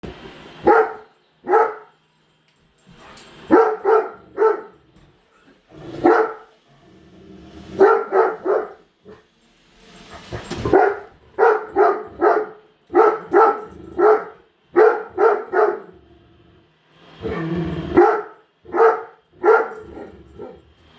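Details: Female Great Dane barking indoors at a newly unboxed Roomba robot vacuum, refusing to settle; loud harsh barks come in quick pairs and triplets, clusters separated by short pauses, throughout.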